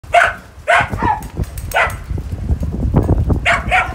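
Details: Dogs in a pack of fourteen playing in snow give short, loud barks in clusters of two or three, with rumbling low noise and scuffling between bursts.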